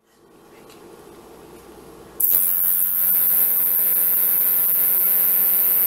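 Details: Male sword-bearing conehead katydid (Neoconocephalus ensiger) singing and dancing at night in a temporary enclosure: after a quiet start, a continuous, very high, hissing buzz.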